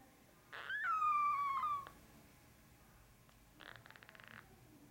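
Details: A male Norwegian Forest Cat kitten, brown (black) classic tabby and white, born 8 March 2020 and about five days old, gives one high, thin meow that slides downward, followed by soft rustling.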